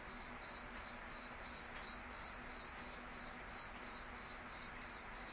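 A night insect gives high, pulsing chirps, about three each second, in a steady rhythm.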